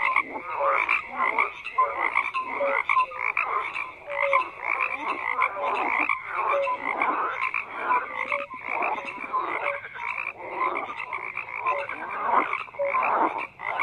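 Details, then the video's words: A thick chorus of croaking frogs, countless voices overlapping in pulsing bursts, with brief clear tonal notes standing out now and then over a constant buzzing mass of calls. "FROGS CROAKING"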